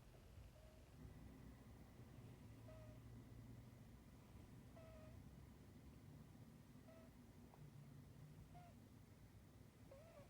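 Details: Domestic cat Gracie snoring softly in her sleep, a small squeaky note returning about every two seconds, six squeaks in all, with a constant low hum underneath.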